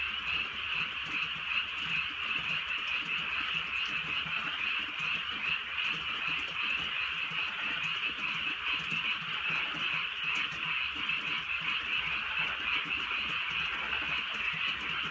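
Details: Frogs calling on a countryside night in light drizzle: a dense, unbroken chorus of high, rattling croaks blurring into a steady shimmering drone, with faint ticks of rain falling throughout.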